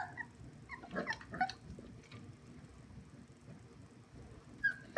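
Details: English Springer Spaniel puppies give high, thin whimpers and short yips in bursts on seeing their mother.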